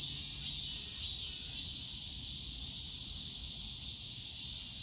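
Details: Cicadas shrilling in the Yongsan Family Park bamboo forest in summer, an unbroken high buzzing wall of sound with a few brief louder pulses near the start, low park hum beneath.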